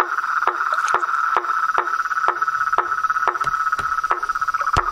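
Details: Frogs, toads and a tree frog in the wild give a continuous droning chorus, with crisp clicking calls carrying a low tone, repeated about twice a second and slightly irregular.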